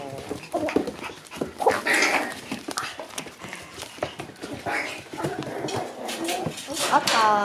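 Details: Two-month-old Shiba Inu puppies, grown rowdy, play together with short yips and squeaky whines amid scuffling noises, a person talking over them, and a rising high whine near the end.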